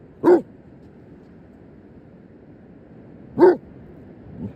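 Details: Basset Hound called Professor Long Ears meeting a crab, seeking friendship; two short, deep, gruff barks about three seconds apart, with a faint softer sound at the end over quiet background.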